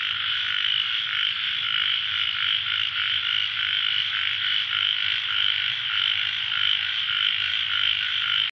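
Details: A dense late-night chorus of ornamented pygmy frogs (Microhyla fissipes), with rasping, buzzy calls overlapping into a steady drone.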